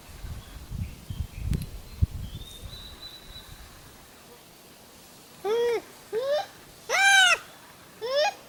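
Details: Wild Japanese macaque calling in reply to another monkey: after a quiet stretch of rustling and a faint high whistle, four loud tonal coos arch upward and fall, in quick succession over about three seconds.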